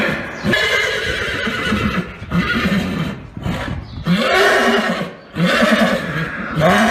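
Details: Purebred Arabian horses, from a recording set of neighs by stallions, mares and foals: a run of loud, harmonic neighing bursts, each rising and then trailing off, repeating about every second with brief gaps between calls.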